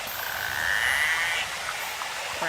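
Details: Narwhal recorded in the Arctic with the help of Inuit hunters; a thin rising whistle sweeps upward near the middle, followed by faint short clicks, all over a constant hissing underwater noise.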